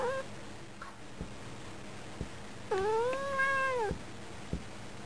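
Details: Domestic cat, female, indoors at a window in summer, meowing at birds and pleased when stroked, her tone changing; a clipped meow opens, then a long arching meow rising and falling, with scattered clicks.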